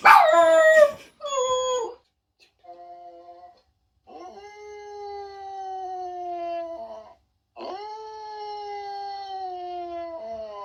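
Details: Jack Russell Terriers howling and reacting to funny noises: a loud opening yelp and short cries, then two long, smooth, slowly falling howls of about three seconds each, with a faint steady tone between.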